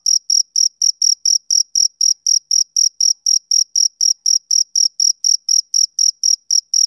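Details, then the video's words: Male cricket chirping on a summer evening: clean, high, pulsing chirps repeated steadily about four times a second, some 27 in all, with a fainter upper tone above each chirp and no other sounds. "Cricket Chirping Sound Effect"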